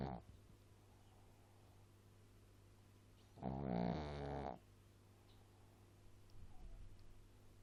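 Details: Little pet dog giving a single rough, low snore lasting about a second, preceded and followed by near-silence with a faint steady hum and a few soft shuffles.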